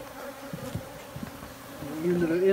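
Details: Honey bees giving a continuous droning buzz with faint soft taps, and a voice beginning near the end.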